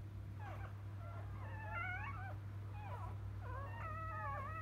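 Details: Newborn field-type Labrador Retriever puppies just after birth, the mother a 2017 JFA Grand Champion: thin, high squeaky whines with wavering rising and falling pitch, several pups overlapping in bursts, over a steady low electrical hum.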